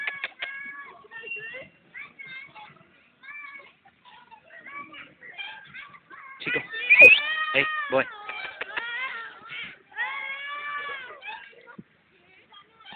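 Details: A Basenji at night gives wavering, high yodel-like cries in broken bursts, with a brief human voice nearby.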